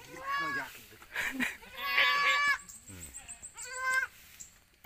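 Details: Newborn goat kids in Pacitan, from four mothers that bore nine young in a week, cry in loud, bright, tremulous bleats, repeated several times in quick succession, with a voice speaking faintly behind.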